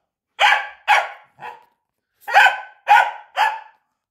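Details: Corgi barking while playing fetch: six sharp, broadband barks in two bursts of three, about half a second apart, the third bark of the first burst softer and shorter, with a clear pause between the bursts.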